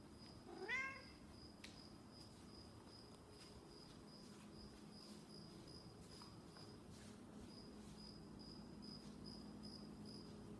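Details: A Snowshoe cat that misses its owner lets out one brief upward-sweeping meow near the start, then quiet, while a rhythmic insect chirping repeats about twice a second over a low indoor hum.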